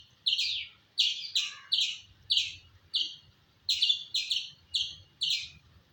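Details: Squirrel chirping: loud, high, sharply struck notes that fade quickly, repeated in loose pairs and singles about every half second, with soft low background noise.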